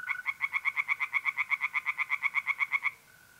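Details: Singing tree frogs at a North-East Italian pond on an April night: some twenty fast, regular, nasal pulses in under three seconds, then a faint, steady mole cricket trill.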